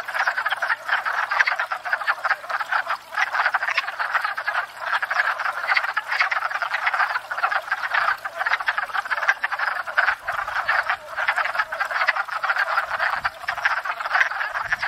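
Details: Wood frogs gathered at a pond in spring after thawing out, calling in a dense breeding chorus while courting; overlapping rapid clucking, duck-like croaks form a continuous, pulsing racket with no gaps.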